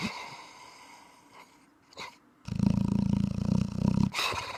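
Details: Thai Ridgeback dog snoring: a loud stretch of low, rumbling, rapidly pulsing snores lasting over a second, preceded by softer, quieter breaths and brief pauses.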